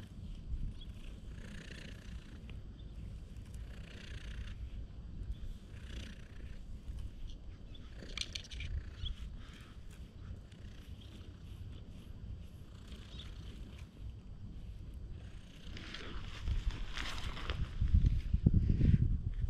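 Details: Stray cat in a park, following close behind at a brisk pace and filmed on a GoPro: a low, steady purring rumble runs throughout, with light rustling and handling noise above, growing louder near the end.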